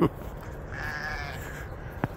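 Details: Sheep, ewes with their lambs coming in on a homestead during snowmelt: one sustained, slightly wavering bleat lasting about half a second, ending with a sharp click against low background rumble.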